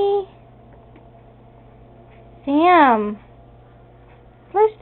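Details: Sammy the house cat, which flushes the toilet, lets out one wavering meow that rises and falls, followed by the start of another, in a quiet indoor room.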